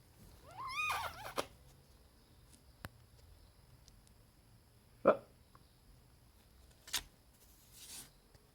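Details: House cat, one of the pets Auri, Vin and 2-Euro, makes a short wavering, chirp-like meow at the start, followed by quiet room tone broken by a few isolated taps and clicks.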